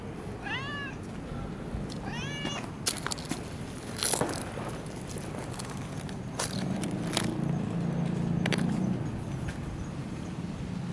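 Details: Long-haired tabby cat living in a park being stroked, giving two clear rising-then-falling meows in the first seconds, followed by rustling, handling noise and a low background hum.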